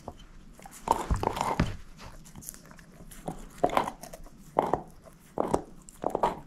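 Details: Moose, a female shepherd mix dog, gnaws on a bone indoors: wet crunching bites in uneven bursts, four main clusters spaced about a second apart, with quiet pauses between them and no talking.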